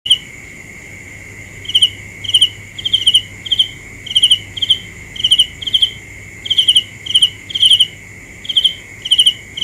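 A cricket gives short, bright pulsed chirps in quick bursts, repeated roughly every half second.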